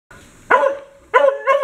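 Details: Pet dog barking after spotting a cat: a soft low lead-in, then three sharp, harmonic barks spaced roughly half a second apart.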